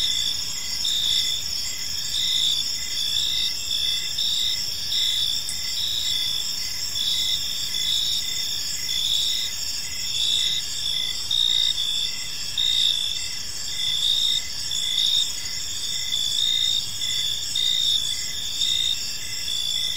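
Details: Park crickets calling as evening falls, a continuous high, rhythmic chirping from many insects at once, steady in volume, with a quiet wash of outdoor noise below.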